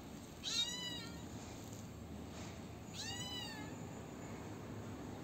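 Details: Two thin, high meows about two and a half seconds apart from a little kitten that hid when its brothers were taken and is now looked after and fed, against soft constant background noise.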